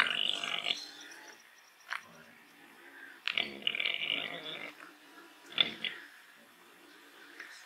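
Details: A free-range Gloucestershire Old Spots pig, the orchard pig, rooting in mud in a large outdoor area among trees, gives rough, breathy grunts in three main bursts, the middle one longest, with short snorts and quiet gaps between.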